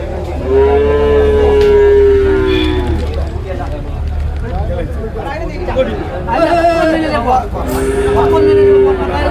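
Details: At Manjeri cattle market, among buffalo calves and cows, two long, steady moos, one at the start and another near the end, heard over men bargaining loudly and general crowd noise.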